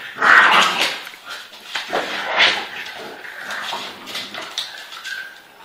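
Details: Pitbull and French Bulldog in a hard fight: loud harsh snarls and a shrill yelp at the start, then continuing rough growling bursts.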